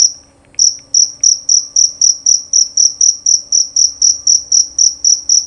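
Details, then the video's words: Male jerabang cricket chirping loudly and clearly. After one chirp and a short pause, it settles into an even run of piercing, high chirps at about four per second. "Bunyi Suara Jangkrik Jerabang Nyaring dan Jernih"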